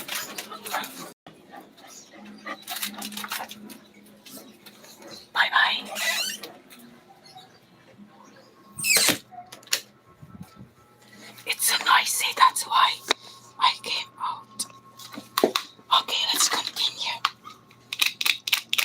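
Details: Pet Chow Chow being noisy while its owner is live, giving bursts of high, strained squealing and whining in several separate outbursts, mixed with a person talking and quiet indoor background.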